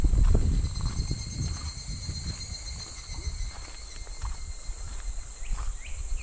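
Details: Midsummer cicada drone beside a shallow, gently flowing clear stream in July: a continuous high, even buzz fills the background, with low thumps and rumble at the start and two brief faint chirps near the end.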